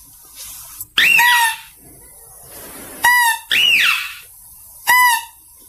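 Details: Mouse-deer cry recorded for luring: arched, falling squeals alternating with short harmonic yelps that drop to a steady tone, four calls spaced about one second apart against near silence.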